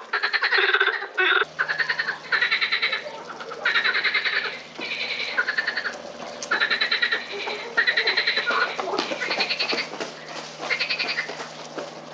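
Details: Botanical Garden in Lausanne, 20 April 2018: a frog chorus of fast, pulsed croaking bursts in quick succession. After the first moments a steady low mechanical hum runs underneath the calls.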